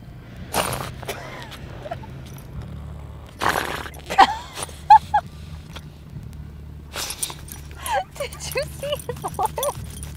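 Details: Muneco, a corgi mix dog, snorts like a pig outdoors at the Great Reno Hot Air Balloon Races: short, harsh, noisy bursts spaced a few seconds apart, with people's voices and chatter around them.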